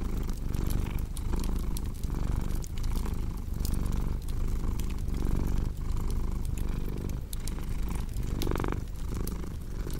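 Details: Cat purring in a deep, rhythmic rumble, each inhale and exhale marking a pulse near once per second, while fireplace crackles snap irregularly throughout.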